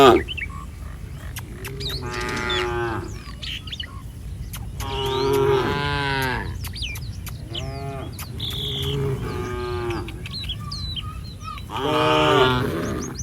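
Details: A herd of cattle roaming a street, five separate moos spaced a few seconds apart, each harmonic and slightly wavering, with scattered bird chirps and twitters throughout.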